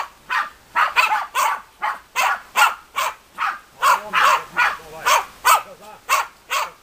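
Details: Bagira and Cox von der Fuchskralle, German Hunting Terriers (Deutscher Jagdterrier), bark in a fast, steady run of roughly seventeen clipped, bright barks over seven seconds.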